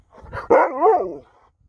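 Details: A female Alaskan Malamute, wet and eager for chicken treats, gives a drawn-out, wavering woo-woo vocalization that rises and falls in pitch after being called out for being a diva.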